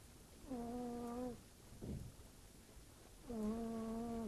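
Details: Fırfır, a pet cat, snores in its sleep with a human-like sound: two drawn-out tonal hums about a second each, separated by a short low breathy rumble, in a quiet room.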